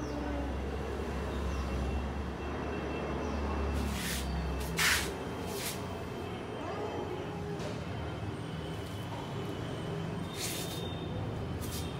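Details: Outdoor urban rumble of passing vehicles with a brief hiss like an air brake and scattered speech, with no animal voice clearly present.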